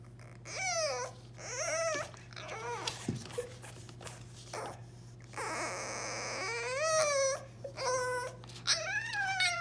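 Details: A new, very vocal French Bulldog puppy, shut out of the kitchen by a baby gate, cries in high, wavering whines that rise and fall, much like a human baby.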